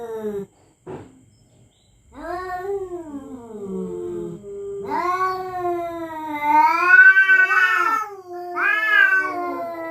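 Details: Territorial cats threatening each other at night: short clipped cries open, then a long, undulating moan swells into higher, quavering yowls that rise and fall.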